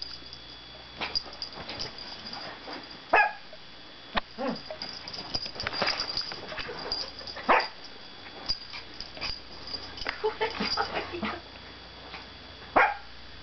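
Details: Pet dog Izzy barking and growling, short harsh barks and broken growly grumbles spread through the clip, with a louder cluster in the middle and a final sharp bark, steady electrical hum underneath.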